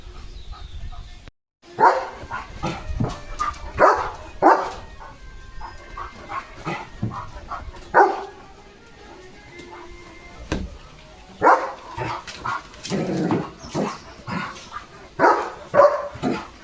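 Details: German Shepherd named Leo barking loudly while drenched in rain and showing off his playfulness: a series of sharp, harmonic barks in irregular bursts across the stretch, with quieter gaps and some background sound between.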